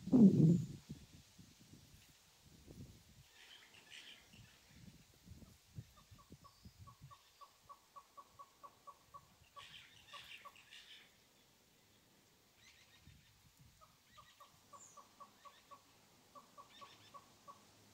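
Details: A large family group of dwarf mongooses in a camp garden in Greater Kruger, South Africa, digging around, give runs of short, chirping peeps, quickly repeated, over soft rustling and thumps.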